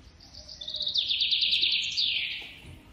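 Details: Baby squirrel being hand-fed, giving a dense run of high, buzzy chattering squeaks that swell and then fade, with a faint low hum beneath.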